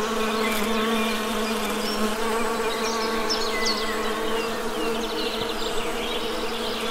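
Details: ['Honey bees buzzing in a steady, dense drone, a low hum layered with many even overtones, continuous and unbroken, with faint high chirps from birds drifting in the background.']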